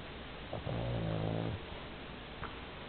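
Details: Sleeping 11 kg Pomeranian giving a single low, buzzing snore just under a second long, humming and steady, then soft breathing and a faint tick in a quiet room.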